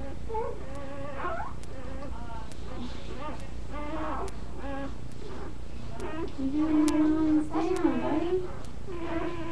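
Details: Puppies fussing while being settled to nurse indoors: rapid, repeated short whimpers, then a longer wavering whine near the end, with a person's quiet encouraging voice.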